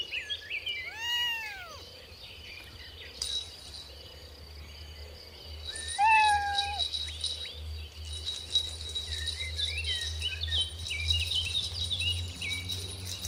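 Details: Mother cat and kittens at play on a grassy lawn; two separate meows, one near the start and a flatter one mid-way, with bird twitters and a ringing, chime-like tone in the background.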